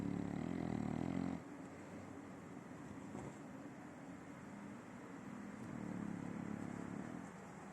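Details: Simão, an adopted nine-year-old French Bulldog, snores in his sleep: a loud rasping snore fills the first second and a half, then quieter breathing follows before another rough snore rises near the end.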